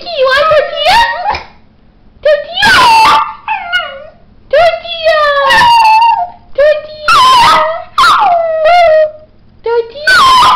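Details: Pet dog named Mickey howling in reply each time the owner says "tortilla": short, wavering, whiny howls that bend up and down, answering repeated loud bursts of the spoken word in between.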